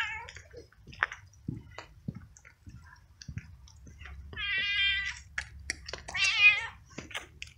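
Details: Stray male cat living alone on the street, wet and frightened in the rain, meows loudly while following someone with food; two long harmonic meows near the end, the last rising and bending, amid clicks and low rumbling background noise.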